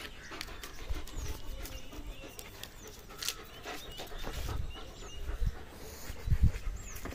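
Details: A German Shepherd playing with a rope pants in short breathy bursts and low huffs, a few thumps near the end, with faint high bird chirps in the background.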